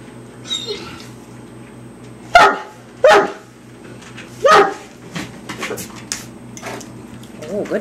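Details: Mastiff named Hamish playing with raw chicken, not eating it; three heavy barks spaced about a second apart in the middle, with a person talking and faint whines before and after.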